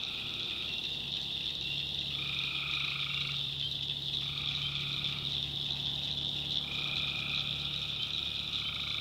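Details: Tree frogs calling at night in the backwoods of North Carolina, dense high-pitched chorus overlaid by repeated one-second tonal calls with a lower harmonic, coming roughly every two seconds, and a faint low drone beneath.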